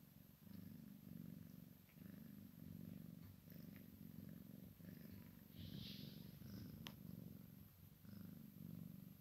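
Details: Maine Coon x Sphynx kitten playing with its mother; continuous low vibrating purr rising and falling with each breath, interrupted by a brief soft hiss-like rustle and a sharp click midway.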